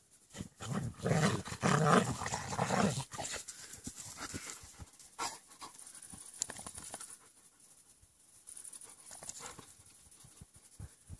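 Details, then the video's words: Young German Shepherds playing together, a burst of loud rough dog vocal noise in the first three seconds, then quieter rapid breathing and scuffling. "Young german shepherds playing"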